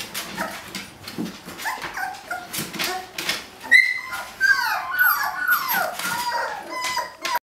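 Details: Puppies at day 18, eager to explore, try escaping a kiddie pool; quiet shuffling at first, then louder high-pitched whining cries with bending, sliding tones in the second half.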